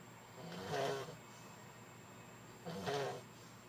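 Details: Sleeping French Bulldog giving two rasping snores about two seconds apart, each a short noisy breath with a low rumble beneath, against a quiet background and faint electrical hum.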